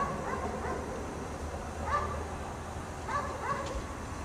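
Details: A dog chained up outdoors in the snow for the whole day barks faintly from afar: one bark, then a quick pair about a second later, set against a constant low hum.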